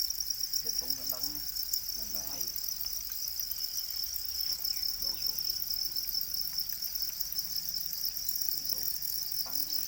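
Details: Domesticated black crickets, also named para crickets, keep up an unbroken high buzzy trill, while short snatches of conversation come and go over the chorus.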